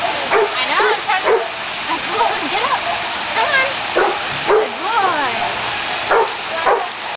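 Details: Jack Russell Terrier pup playing in the water feature at a dog park, giving quick high yips and barks in irregular bursts, mixed with people talking and a constant rush of splashing water.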